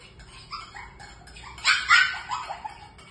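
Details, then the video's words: Shih Tzu puppies at food time, calling their mother for food: high whining yips that rise and fall, swelling into a loud cluster of squeals midway, then tapering into softer whimpers. "Shihtzu puppies food time #Puppies shouting on his mom for food"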